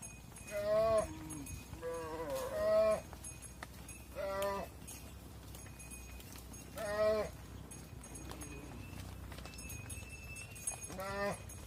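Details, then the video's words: Cattle at a farm barn, mother cows going inside while their calves stay outside: about five loud, harmonic bawling moos at irregular intervals, each roughly half a second to a second long, with a steady hum and some clatter behind. "Mother Cows Entering the Barn While Their Calves Stay Outside | Farm Sounds"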